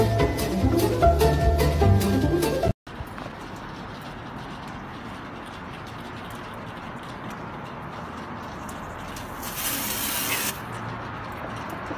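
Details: Loud music plays for about three seconds, cuts off abruptly, then gives way to a steady low background hiss with a brief rise in broadband noise near the end.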